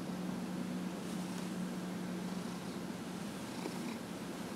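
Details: Dillard, a 15-and-a-half-year-old house cat, purrs under a massage indoors; a low, soft continuous purr, clearest in the first half, over a hissing background.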